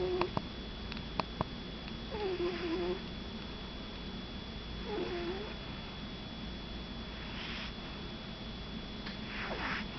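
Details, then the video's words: Mini Cooper, a Shih Tzu puppy, snores while sleeping; two drawn-out whistly breaths sliding downward, a few sharp ticks early on, then softer breathy rustles. "Cute Shih Tzu puppy - Mini Cooper snoring"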